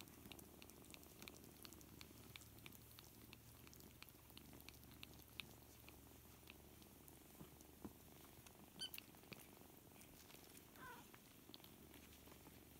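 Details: Seven kittens, four weeks old, play together while a continuous soft, low purring rumble runs throughout, with faint scattered scuffling clicks above it.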